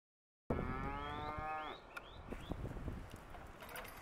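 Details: Young Hereford steers offered as an auction lot; one long, drawn-out moo with steady harmonics that bends upward at its close, followed by lower background noise and faint rustling.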